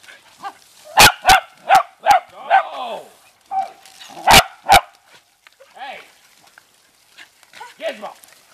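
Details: Family beagles and dachshunds playing with water, a dog giving bursts of sharp barks, some paired, with gaps and softer yips between, as people talk about aiming the hose into the trees and leaves.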